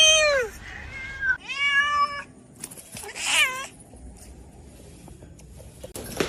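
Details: Cat meowing indoors: a quick series of three or four bright, arching meows, the first falling sharply, the others rising then dropping, followed by a harsher shorter cry and then quiet rustling.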